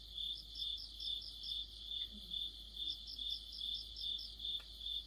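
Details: Autumn chorus of crickets and other insects: high chirps repeated at a steady two-per-second beat over a thin pulsing layer, with a faint low sound and a brief tick in the background.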